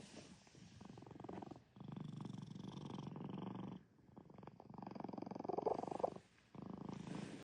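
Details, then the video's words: Pinocchio, a pet cat, purring after waking from a nap; steady low rumbling purr in long stretches broken by brief breathing gaps, each phase lasting one to two seconds. "Volume up for his little snore"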